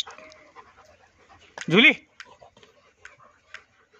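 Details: German Shepherd puppies in Jaipur, Rajasthan, India: one loud, short yelp that climbs then drops in under half a second, rich in stacked overtones. Faint clicks and soft background voices sit around it.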